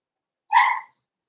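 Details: Cavalier King Charles Spaniel puppy, four weeks old, kept in an indoor puppy pen while being socialized with older dogs: a single brief, bright whimper lasting about a third of a second, flat and tonal with strong overtones, in an otherwise silent room.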